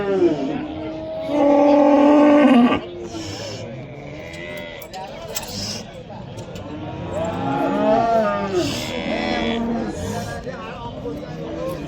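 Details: Bulls at the Oqtepa livestock market in Oltinko'l, Andijan, Uzbekistan; one loud, deep, drawn-out moo fills the first three seconds, then fainter wavering lowing follows amid market voices.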